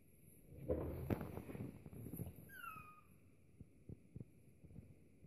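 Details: A French Bulldog puppy, said to be crying because nobody will play with him, gives a brief, thin, high whimper that falls steadily in pitch, amid muffled indoor thumps, rustling and shuffling, with a few soft knocks afterward.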